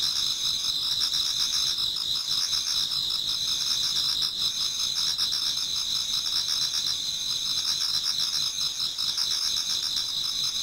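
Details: Towards dawn in autumn, insects in a Japanese garden keep up a constant shrill massed trilling, several high bands overlapping and a low rhythmic pulsing, level and unbroken for the whole stretch.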